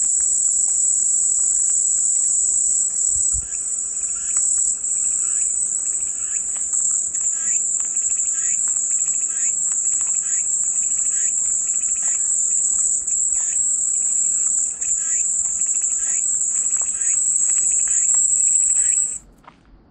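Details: Cicada chorus: an unbroken, shrill, high-pitched buzz holds steady for almost twenty seconds, then cuts off abruptly, leaving quiet background at the end.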